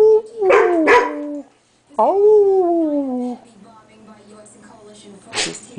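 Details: Standard poodle, male, teasing a female dog during a game of tug, recorded in 2003: a pair of harsh barks blending into a tonal cry, then a sustained falling whine, quiet room, one more brief bark near the end.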